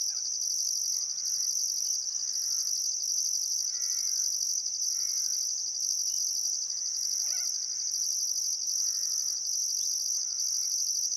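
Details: Sunset crickets in summer at Welford National Park on the Barcoo River, Outback Queensland, Australia, keep up a continuous high trill with pulsed upper tones; a bird's paired whistled calls repeat roughly every second.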